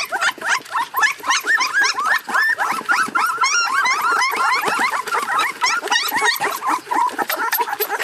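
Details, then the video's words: Crated puppy screaming and crying, shown as a dense run of fast, overlapping high yelps and squeals, several per second, with a harsh, frantic, almost squealing quality throughout. "Puppy Screaming In Crate For Hours How Do You Stop A Puppy From Crying"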